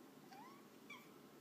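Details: Jax, a pet cat, talking to his owner at home while she works, gives two quick, quiet squeaky chirps, each sliding upward in pitch, in a still indoor room.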